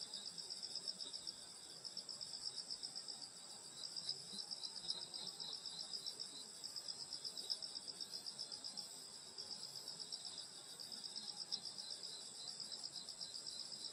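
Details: Insects singing on a summer night in the Korean countryside at a grandmother's house: a dense, steady high-pitched chorus of overlapping trills and chirps, pulsing about four times a second, with no other clear sounds.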